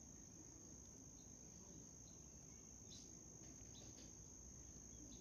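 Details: Continuous thin, high trill from a white cricket, with a few brief softer chirps layered on top and low background rumble.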